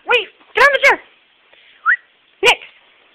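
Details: A female Pembroke Welsh Corgi, on her second attempt, gives short, high, arching yips and barks, with a person speaking.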